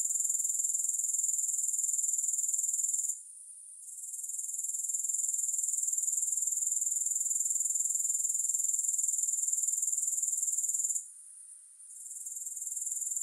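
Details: Continuous high-pitched buzzing trill of grasshoppers, finely pulsed. The sound briefly drops out twice before resuming, with nothing else audible.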